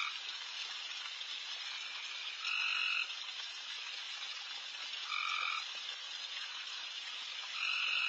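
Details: Backyard at night with insanely loud frogs everywhere: an unbroken, buzzing high chorus carries throughout while one closer frog repeats a brief, even, double-pitched call three times, roughly every two and a half seconds.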